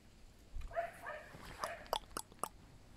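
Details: Short whining yelps from a pet fox rescued from a fur farm, a wavering harmonic cry near the start followed by sharp clicks and knocks, indoors.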